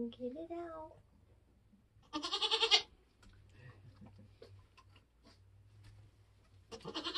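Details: Nigerian Dwarf goat on a homestead during kidding, a human voice at the start, then a loud trembling bleat, quiet shuffling, and another bleat beginning at the end.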